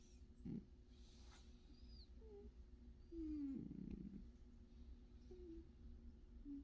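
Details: Cat asleep and snoring, giving low raspy breaths at 0.5 and 3.5 seconds with faint squeaky tonal sounds between them in a quiet room.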